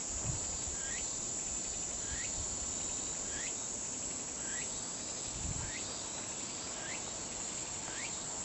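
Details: Continuous high buzzing drone of a Kaempfer cicada. A short chirp that sweeps up and down repeats about once a second over it, and there are faint low bumps.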